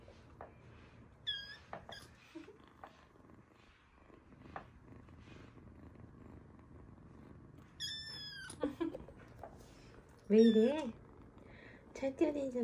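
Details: Rescued kitten crying: among kittens found after falling into a dark sewer, lying still after a fall, or crying for hours in bushes. High, thin, harmonic meows come in scattered bursts, a few sharp and rising, over a quiet hum and small rustles.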